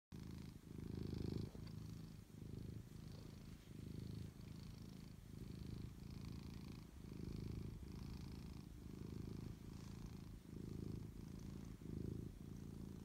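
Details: Domestic cat purring close up, a low, rumbling, continuous purr pulsing in steady in-and-out cycles roughly every second, quiet and even throughout.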